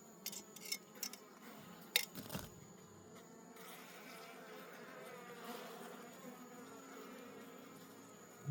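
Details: A forest colony of wild honey bees being harvested for honey gives a low continuous buzzing drone, with a few knocks and handling thuds early on, then an even hum to the end.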